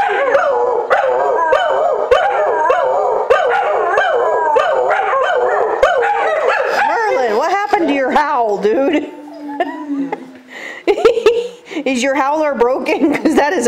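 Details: Two pet dogs howling together to "Taps" played nightly at 9pm over military base loudspeakers; wavering yodel-like howls and yips mixed with a person talking, quieter stretch near the end.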